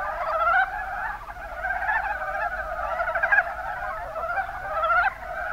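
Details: Chorus of Mountain brown frogs, Rana ornativentris, recorded in Kumamoto's Kuma Basin in Japan; many callers give soft, rattling pulsed croaks that overlap into a steady murmuring mass, rising slightly in loudness toward the end.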